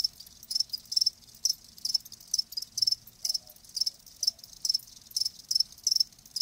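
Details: Live crickets chirping: short, high, shrill pulses repeated roughly two to three times a second in a steady rhythm, with a faint low hum beneath and no other clear sounds.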